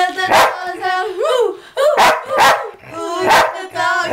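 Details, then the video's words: A sheepdog howls along to the song "Who Let the Dogs Out" at 2 in the morning, very loud; wavering, rising-and-falling tonal howls mix with sharp, barking-like bursts from the track. "Sheepdog sings to "who let the dogs out""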